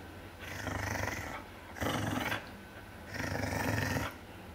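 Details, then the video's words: Three rumbling growls come in a row, each roughly a second long with short pauses between, from a bigger dog defending its bone as a little dog tries to take it. "It's My Bone Grrrrrrrrrr"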